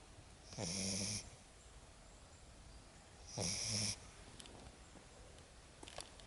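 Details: Sleeping Lagotto Romagnolo puppy Lexa, worn out after her first walk in the woods, gives two drawn-out rasping snores with a low rumbling undertone, about three seconds apart, then faint breathing.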